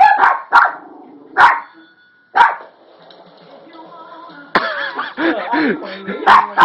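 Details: Toy poodle giving four sharp, high barks in its first two seconds. The middle is quieter, then talking and a burst of other sound follow, with one more bark near the end.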